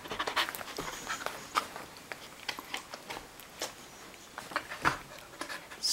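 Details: Samoyed husky mix, a female dog, panting indoors while doing tricks on command; soft breathy puffs in quick irregular bursts, with a woman's voice giving commands between them.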